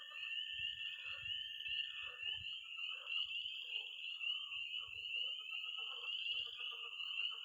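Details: A dense night chorus in early spring in Missouri, with tree frogs peeping, frogs croaking in a pond and toads giving high-pitched trills: a steady, high shimmering trill with lower croaks beneath.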